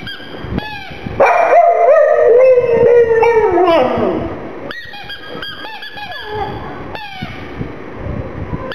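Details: A black pug cries with sadness over its little ball. One long, drawn-out whine wavers and slowly sinks in pitch, followed by shorter high yelps and whimpers.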